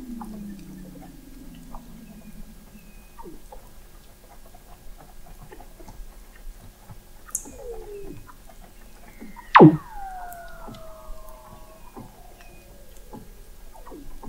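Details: Weddell seal underwater song recorded in November 2017 by an observatory 21 m below the sea ice in McMurdo Sound, Antarctica: eerie gliding whistles, long descending sweeps and soft chirps, with a sharp pop midway.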